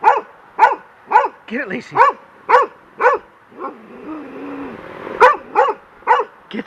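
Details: Young golden retriever Lacy barking at a large bird's feather blowing in the wind on a deck: sharp barks repeated roughly every half second, with a short whine midway and a person urging her to get it.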